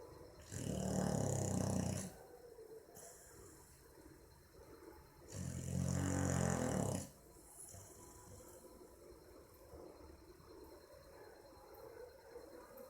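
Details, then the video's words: Boxer called Maizena asleep and snoring, 18 April 2015; two long grating snores about four seconds apart, each lasting over a second with a deep vibrating rumble, separated by quiet breathing. "Meu Boxer dormindo e roncando - cachorro roncando"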